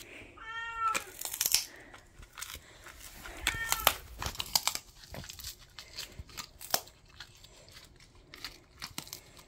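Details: Samoyed brother Willow protests while Calla unwraps a Christmas gift of fish skins indoors: two short, tonal whines, one near the start and one about three seconds later, amid wrapping-paper crackle and tearing.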